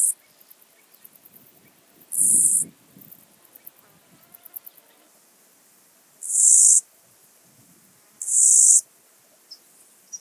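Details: Two-coloured grasshopper from Illmitz, Austria, 21 July 2021, repeating short, dry, high-pitched buzzing bursts roughly every two seconds. Quiet clicks and rustles fall between them, and a fainter fast ticking runs at the start.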